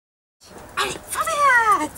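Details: Amelia, a 7-week-old female miniature wire-haired dachshund puppy, protests her first lead with a short, high whine that rises briefly then slides down, after a quick soft yelp.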